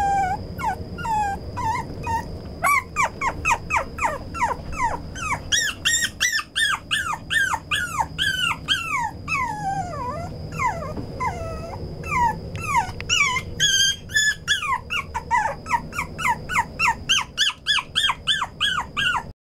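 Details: Brown male Toy Poodle giving rapid, dense runs of squeaky, downward-sliding whines that rise in intensity midway and continue almost without pause, with a constant thin high tone underneath.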